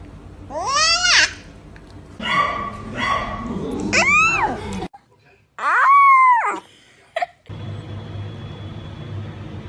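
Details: Puppy yawning indoors: squeaky, whining yawns that rise then fall in pitch, three in a row across several seconds, with murmured human voices in the background.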